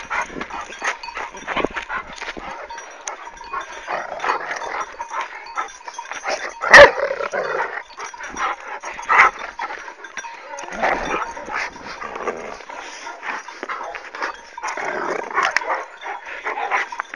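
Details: Kangal dog attacking its owner, with a white dog coming to the owner's rescue; rough, scuffling growls and barks come in irregular bursts throughout, one sharp loud crack near the middle, amid a noisy scuffle.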